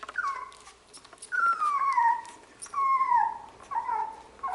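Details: Labradoodle puppies at play indoors, giving a run of high, drawn-out whines that slide downward in pitch, four or five in a row with short gaps, over soft scuffling and pattering.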